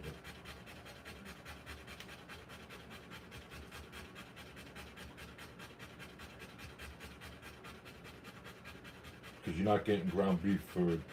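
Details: Rottweiler female giving birth to puppies: quick, rhythmic panting breaths, about a hundred a minute, steady for some nine seconds before a short burst of human voice takes over.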